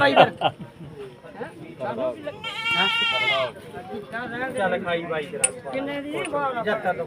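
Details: Goat at the Surewala goat market on 21 July 2024 gives one loud, wavering, nasal bleat lasting about a second. Steady crowd chatter and men's voices run before and after it.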